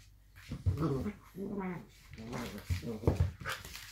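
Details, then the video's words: Blue roan working cocker spaniels Minnie and Hugo play fighting in a small room, giving rumbling growls and whiny, wavering grumbles that rise and fall over a few seconds, with scuffling thumps. "working cocker spaniel/ Dog tv / play fighting"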